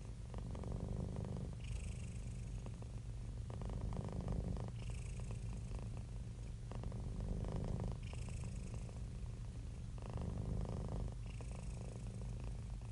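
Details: Happy domestic cat in a calm, relaxed state, giving a steady deep purr that pulses with its breathing, strong phases alternating with softer airy intakes about every three seconds.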